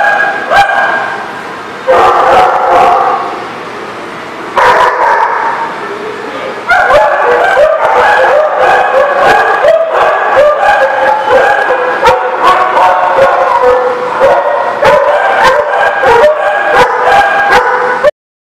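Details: A dog recorded 19 November 2018 barks in quick, excited volleys: short pauses, then a dense, fast string of sharp, yappy barks at nearly three per second, ending abruptly in silence.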